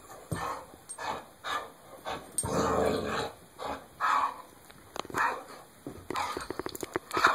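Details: A dog shaking and playing with a Kong bone toy gives rough, breathy growling bursts about every half second, with a louder sustained stretch near the middle and sharp clicks and knocks from the toy toward the end.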